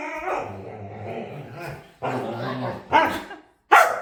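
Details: Begging to play, a dog lets out a long, low, droning moan-growl lasting nearly two seconds, followed by a shorter groan and two abrupt, sharp barks.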